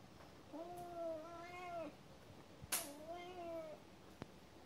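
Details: Two drawn-out cat meows, each level and nasal with strong overtones lasting over a second, separated by a sharp click, against a hissy background.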